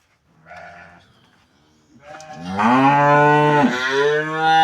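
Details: Cattle being treated by a vet to clear metal objects from the stomach: a soft, brief low call, then a loud, drawn-out moo that swells and rises slightly, holding strong and steady for about two seconds before breaking off.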